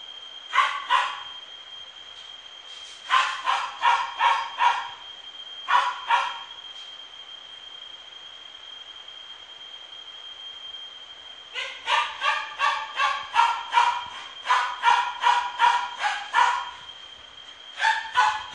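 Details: Miniature Pinscher at a pet shop in Ichinoseki, yapping in quick bursts of sharp barks, a few short volleys then a long run of about a dozen barks, with a steady high electronic whine underneath throughout.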